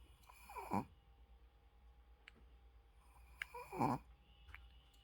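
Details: A Shih Tzu sleeping with its eyes open snores indoors: two rasping, breathy snore breaths about three seconds apart, with quiet room hum between them and a brief murmur right after.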